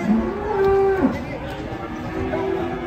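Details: Agitated cattle unloaded from a truck give a short, steady moo held about half a second, then a lower drawn-out moo fading into crowd noise.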